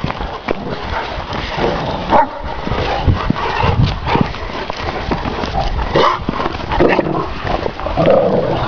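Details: Several Šarplaninac dogs in a home yard, heard close and loud: rough, dense barking and growling sounds run almost without pause, with louder bursts near the second, sixth and eighth seconds.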